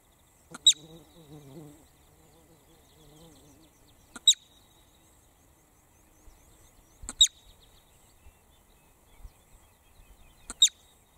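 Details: Marmot screaming: four sharp, piercing high shrieks, each a split-second burst, spaced about three to four seconds apart. A low, voice-like murmur sounds between the first two, over a quiet outdoor background.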